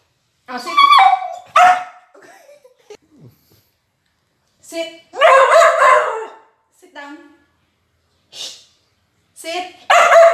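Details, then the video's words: A chatty female Border Collie vocalizes during a food review, possibly about her favorite chicken. She gives several loud, harmonic, howl-like yowls and bark-whines in bursts separated by pauses, with human voice nearby. "Talkative Dog Food Review Gone Wrong?/Border Collie"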